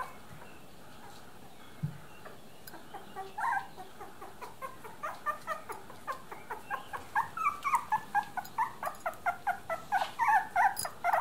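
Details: Miniature Dachshund puppies, three weeks old, whimpering in a small room, one low thump early on, then quickening high squeaky whines building into a rapid, loud series of short yelps.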